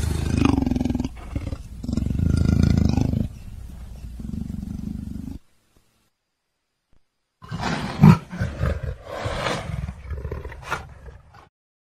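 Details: Leopard roaring: deep, rumbling growled roars held for about five seconds, then a silent break, followed by a second bout of harsher, broken roaring with a loud burst near the middle and fading rasps at the end.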